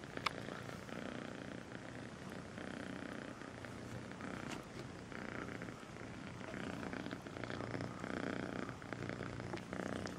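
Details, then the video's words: A sweet kitten named Melissa purring steadily, a continuous low rumbling throb that swells and eases with each breath for the whole stretch, with a few faint clicks and rustles over it. "El gatito con el nombre Melissa dulce ronronea"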